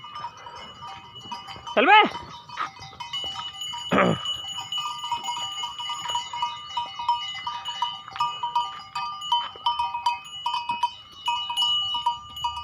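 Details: Domestic goat heading out to graze in a garden again after many days. Two loud, harmonic bleats about two seconds apart, the first with a wavering pitch. Steady high chirping from birds runs throughout, with some people talking.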